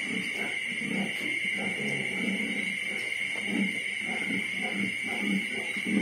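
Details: Litter of 25-day-old piglets, to be separated from the mother the next morning, giving low grunts in overlapping irregular bursts, over a steady high machine hum.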